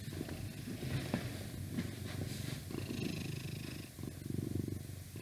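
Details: Twelve-year-old male pet cat, constantly shedding, lying on a laptop indoors and purring: a close, steady, deep rumbling purr with rhythmic pulses that rise and fall with each breath, plus light hiss in the background.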